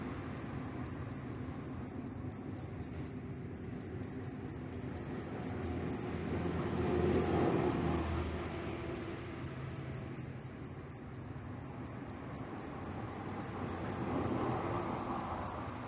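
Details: Cricket after rain, wandering in search of a mate, chirping very loudly: a high, pure pulsed trill repeated about four times a second in a steady run across the whole stretch, with faint low rumble beneath.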